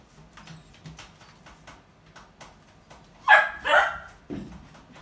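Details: Akita puppy about three months old, indoors, eager and unable to wait for its food: two loud, sharp, high whining yelps close together, then a lower short grunt, among soft scratching and tapping sounds.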